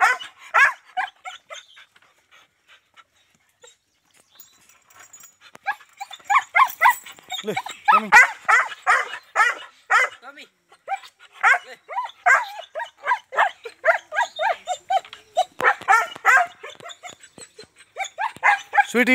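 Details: German Shepherd dogs in Azamgarh barking in dense, irregular bursts of harsh, mid-pitched barks with short pauses, overlapping at times, while a person calls out and talks between them.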